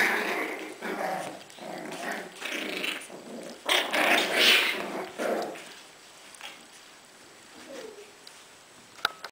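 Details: Litter of six-week-old Bichon Frise puppies: rough growls and yappy bursts come in quick succession, several per second for about six seconds, then fade to quieter rustling with a brief faint whine.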